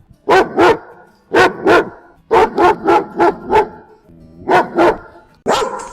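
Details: Guard dogs barking in rapid, punchy volleys, pairs and runs of loud barks spaced by short pauses, about five in the longest burst.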